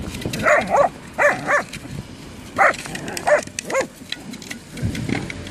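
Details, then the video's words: Whippets playing football, one giving short sharp barks in uneven bursts, some doubled, with scuffling and ground noise between calls. "whippets playing football"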